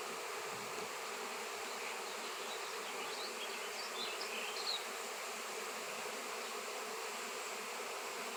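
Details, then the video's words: Continuous droning of a honey bee swarm gathered around a large raw shungite stone, where bees had been absent for years; steady massed buzzing with a few faint high chirps near the middle. "Shungite honey bees swarm"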